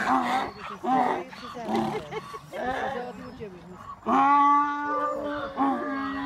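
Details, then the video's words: Several donkeys at a Manchester donkey sanctuary bray in a group bray-off, recorded 21 April 2018. Choppy, rasping see-saw brays give way halfway to one long, steady, honking tone held for about two seconds. "Donkey Bray Off"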